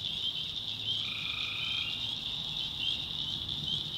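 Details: A single trilled call from a tree frog, about a second long, rises out of a continuous shrill night chorus. Recorded in a swamp in the North Carolina backwoods after dark.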